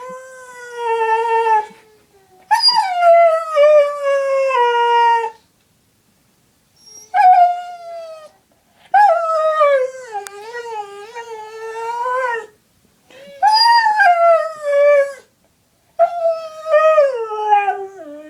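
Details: Female pet dog howling in response to hearing her owner's sister's name called: long, harmonic-rich, wavering howls in four or five bouts separated by short silences, each tone sliding and bending in pitch, indoors with no other sounds.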